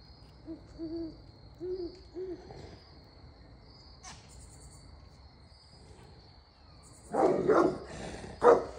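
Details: On a farm in Knoxville, Tennessee, a Great Pyrenees livestock guardian dog protecting Pygmy goats gives deep, booming barks to drive off owls, after soft hooting owl calls.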